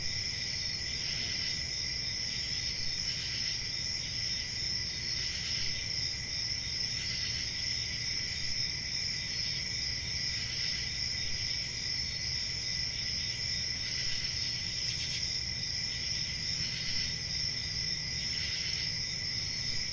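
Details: Night-time forest crickets in summer: constant piercing trill in stacked high tones, punctuated by short louder bursts roughly every two seconds, over steady low noise.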